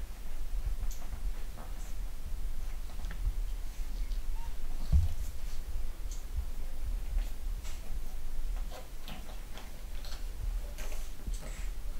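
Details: Low rumbling handling noise and soft scattered taps and clicks indoors, with no clear animal call.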